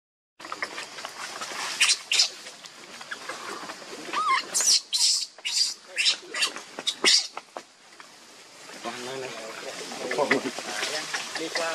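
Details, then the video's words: Hungry newborn monkey Leo, nursing from its mother, with sharp broadband squeaky bursts in quick series midway, then trembling, harmonic whining cries toward the end. "Pitiful Very Hungry Newborn Baby Leo Sucking Milk Nonstop"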